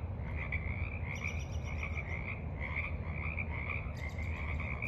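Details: Frogs croaking together at a forest pond in the evening, 28 March 2023: a continuous run of rapid, beaded croaks from several callers overlaps without pause, with faint higher rasps and low steady rumble beneath.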